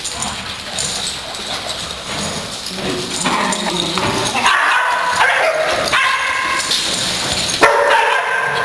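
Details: Dogs excited to play, the sound building from softer whines and muffled noise into clearer sharp barks and yips in the second half, irregularly spaced, with a loud bark near the end.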